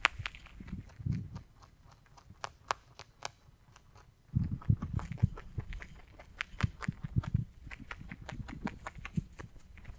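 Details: A rabbit munches hay in close-up ASMR. Sparse faint clicks for the first four seconds, then steady, louder crunching with rapid dry snaps and low thuds continues to the end.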